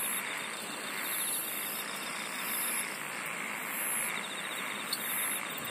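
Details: Singing insects outdoors, high buzzy phrases repeating roughly every second and a half above a quick metallic trill, all within an unbroken, gently swelling background chorus.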